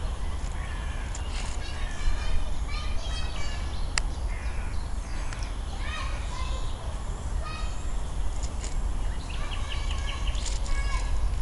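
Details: Meerkats at Magdeburg Zoo give short, high chirping and peeping calls over a steady low rumble.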